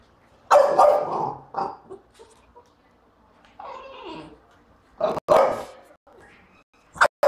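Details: French Bulldog barks loudly in short rough bursts with quieter grumbles between, reacting to a trash can as his enemy.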